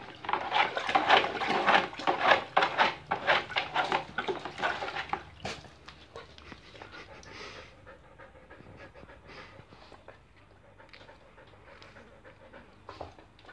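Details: Siberian Husky Irma panting as she tries to freshen up in a small bucket; fast, loud, regular breathy pants for about five seconds, then fading to soft, quieter breathing.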